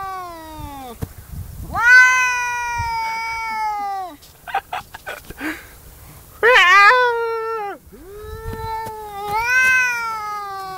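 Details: Crying cat giving long drawn-out wailing meows, about two seconds each, some rising then falling, one sharper higher cry near the middle; a man speaks German in the background.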